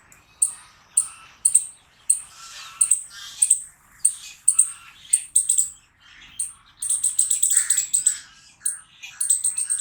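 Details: Harsh squirrel barking, short rasping chucks coming in a steady but uneven series, then blending into a continuous grating chatter during the last few seconds.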